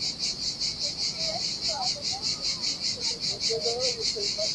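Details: Cicadas sing a loud, high, pulsing buzz that swells and fades about twice each second in the summer heat beside the sea on a desolate Sardinian beach.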